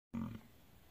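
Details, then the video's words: Bison bellowing: one abrupt, deep, throaty roar lasting about a quarter second, rich in low harmonics, then trailing off into faint background hiss. "Bison bellow"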